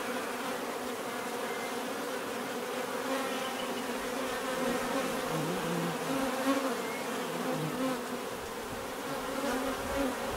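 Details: Bees buzzing steadily as a dense swarm, a continuous drone with layered hums wavering in pitch and overlapping wingbeats, no other sounds standing out.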